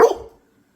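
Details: A Labrador Retriever lets out a single short, loud bark after being coaxed to speak, cut off abruptly and followed by silence.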